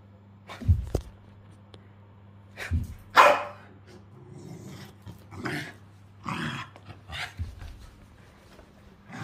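A corgi gives short, irregular growls and gruff barks over a steady low electrical hum.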